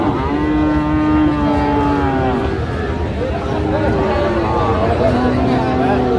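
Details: Friesian and crossbred heifer calves at Raniganj haat, a cattle market in Dinajpur, on 29 January 2025. Several long, drawn-out moos overlap and hold steady, set against a constant hum of market voices.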